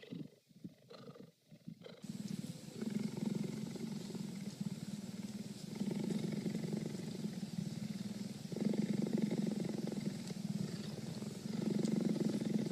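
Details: A cheetah purrs continuously after a brief noisy start, a low, even, motor-like rumble that grows louder in rhythmic phases every few seconds.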